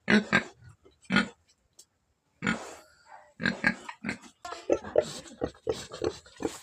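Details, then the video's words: A black farm pig giving short, rough grunts and oinks in irregular bursts, with a brief pause and then a quicker run of calls. "Black pig"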